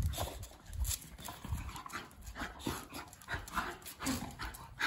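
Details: Two Miniature Bull Terriers wrestling together, giving brief scattered growls and whines among low thuds and scuffling of bodies, with no steady rhythm.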